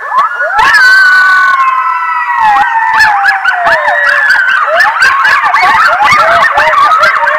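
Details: Several coyotes howl loudly near a stream around 10:37 p.m. on 11-09-22 at the Decorah North eagle nest, waking roosting bald eagles: long sliding wails dropping in pitch, breaking into rapid yips and quavering barks.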